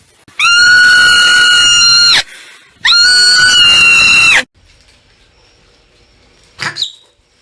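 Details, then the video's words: Marmot letting out two long, piercing, even-pitched screams of almost two seconds each, back to back, followed after a silence by one short sharp chirp. "MARMUT SOUND EFFECT 마멋 울음소리"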